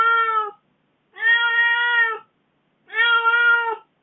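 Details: Aggrieved pet cat complaining after its owner spent four days away; three sustained, level meows about a second long, spaced by short pauses, with a clean, quiet indoor background.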